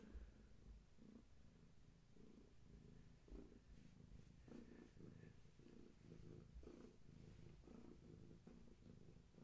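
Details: Pregnant long-haired tabby Gaia, belonging to a family and near birth, purring at bedtime in a quiet room; rhythmic pulsing rumble, each breath-cycle roughly a second apart, with faint background hiss.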